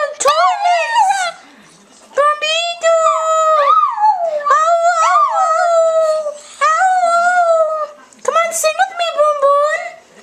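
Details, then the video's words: A pet dog singing: long, steady, tonal howls that hold a level pitch for one to two seconds, some bending up or down, in several phrases broken by short pauses. "Cute Dog Singing!"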